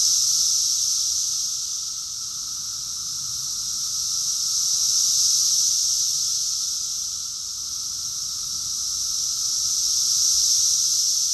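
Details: Cicada chorus in Rockville, Maryland, USA, recorded June 2021, a relentless high electric buzz rising and falling in slow five-second swells, with a thin lower steady tone.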